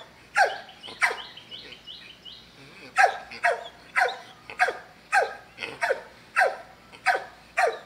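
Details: Dog barking in a steady run of sharp, broadband barks roughly every half second to second, with a brief pause early on; faint high chirping, possibly a bird, between the first barks.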